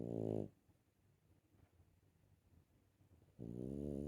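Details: Dog snoring indoors: a loud harmonic snore at the start, then a long stretch of faint breathing, and a second loud snore beginning near the end.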